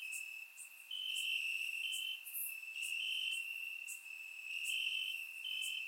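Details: Several crickets chirp in the grass on a warm summer night in Bulgaria; a constant piercing trill layered with sporadic sharp higher chirps, recorded through a surround microphone.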